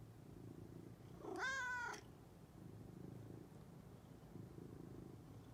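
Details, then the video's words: Domestic cat coming indoors, yawning, purring and meowing; a low, steady rumbling purr runs throughout, broken early by one bright half-second meow that rises then falls before the purring carries on. "Cat Comes in Yawning, Purring, and Meowing!"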